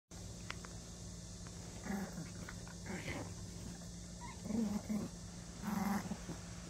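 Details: Ten-year-old Maltese dog growling while playing tug indoors: low rumbling growls in short bursts near four and a half and six seconds, over a steady electrical hum and light handling noises.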